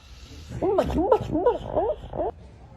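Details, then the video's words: A dog making funny sounds: a quick run of four or five short, yodel-like woos, each bending up and down in pitch, packed into about two seconds against a quiet room. "Dogs making funny sound"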